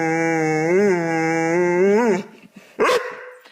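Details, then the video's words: Dog making a funny, weird vocal noise: a long sustained harmonic howl-like tone lasting about two seconds, wavering and rising twice, then cut off, followed by a brief sharp yelp. "Funny Dogs' Noises!"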